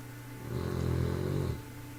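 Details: A 3-month-old bulldog puppy snores with one low, rumbling breath lasting about a second.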